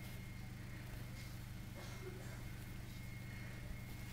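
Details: Only a low steady hum with a faint high tone is heard, ending in a brief knock, and no animal calls.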